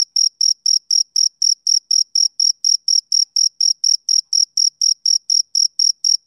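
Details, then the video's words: Male cricket on a summer evening, chirping in a steady, rapid series of short, high, pure pulses, about four per second, each with a fainter higher overtone; no other sounds. "Cricket Chirping Sound Effect"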